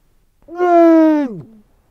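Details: Adult female Weddell seal bellowing loudly in her sleep: one steady, strongly harmonic moan under a second long that drops sharply in pitch at its close, with silence on either side.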